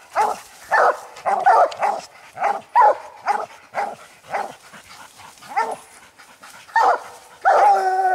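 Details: Hunting coon dogs (old Lucky, Mossie and year-old Star) barking at a treed raccoon: a rapid, irregular string of barks, a quieter stretch, then more barks ending in a long, tonal drawn-out bawl.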